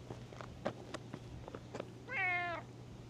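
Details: Cat that had been sleeping on a tetrapod breakwater, now awake and coming out to be petted, gives one steady, drawn-out meow lasting about half a second, preceded by scattered soft clicks and rustles.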